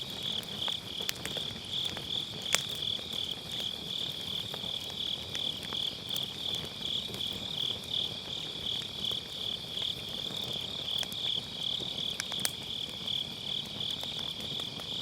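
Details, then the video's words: Autumn-night grass insects beside a round fire-pit campfire, captured on an MKE600 microphone with low-cut: a continuous high pulsing trill, beating roughly three times a second, over soft hiss and intermittent crackling pops of burning firewood. "가을밤 풀벌레 소리"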